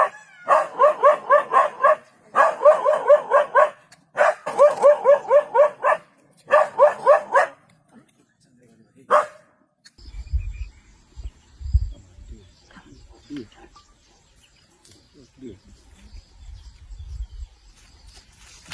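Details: A dog barks in fast bursts for the first eight seconds, several bouts of rapid barks, followed by quiet with faint low rumbling and distant voices.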